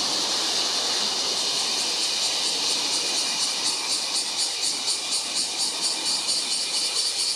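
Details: Bear cicada singing on July 19: a loud, dense, shrill buzz held high in pitch, pulsing in rapid regular beats about twice a second without a break, with faint low rumbling beneath.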